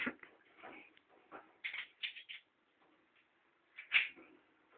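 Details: Rudi, a pet ferret, fighting for food indoors: short, high, squeaky bursts come in uneven runs, ending in one louder, sharper squeal, with soft rustling and bumping between them.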